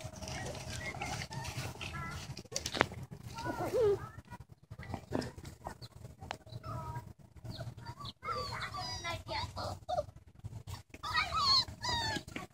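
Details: Great Dane puppies, recorded 9/12/2014, give high, squeaky whines and yelps in short wavering bursts while people nearby call them over.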